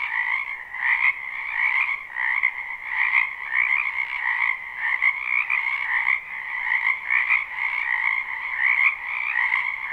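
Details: Dense chorus of spring frogs croaking in a wetland behind a house, live unlooped recording: overlapping trilled calls form a steady band, pulsing irregularly with no pauses, no other sounds standing out.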